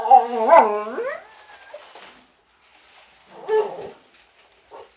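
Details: A tiny visiting Chihuahua bosses a bigger male boxer that only wants to play. Arched, whiny vocal bursts rise and fall in pitch during the first second. A shorter rough burst follows near three and a half seconds, with quiet gaps between.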